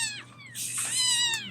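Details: Bottle-fed kittens at a rescue, vocalising as if talking back to the person feeding them: a short falling mew, then a longer, drawn-out, steady meow with rich harmonics that dips at the end, under a faint low hum.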